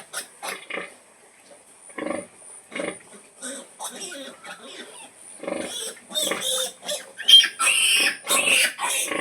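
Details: Mother pig calling piglets to feed: soft, evenly spaced grunts about every half second, then building to loud, high-pitched squealing and rapid grunting toward the end.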